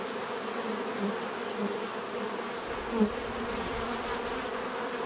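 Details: Bees buzzing in a steady, dense drone, a low hum with harmonic bands and a faint high whine running throughout, one brief louder pass near the middle.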